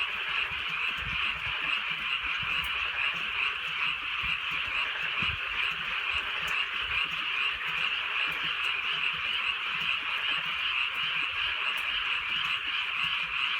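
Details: Countryside night under soft steady rain, a massed frog chorus of bright, trilling croaks pulsing a little over twice a second without pause, rain ticking faintly in the background.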